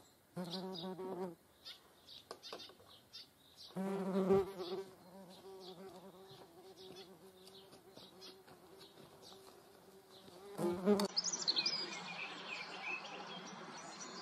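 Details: Median wasps and honeybees: short buzzing passes give way to a long, steady low drone in the middle. Toward the end, rustling, clattering noise and higher scratchy sounds take over.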